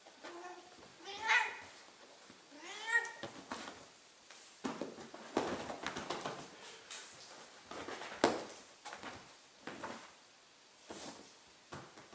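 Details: Millie, a 15-year-old Ragdoll, howls from a chair to get wrestled. Two quick, wavering meows in the first three seconds give way to scuffling, thumps and rustling of play indoors.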